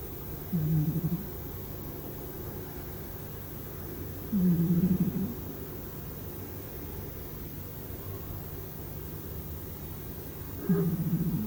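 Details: Sleeping domestic cat snoring, unaware of it: three low rasping snores, each about half a second, spaced several seconds apart over a steady low hum.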